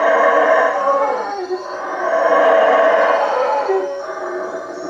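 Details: Nighttime chorus of howler monkeys in the treetops at Lake Peten Itza, Guatemala, a sustained guttural roaring that rises and falls in long waves with a brief dip midway, insects trilling faintly above.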